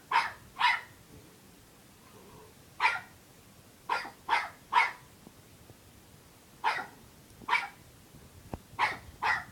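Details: Puppy barking in frustration, wanting someone to play with it: short bright yaps in pairs and small clusters, about eleven over the stretch, separated by pauses of one to two seconds.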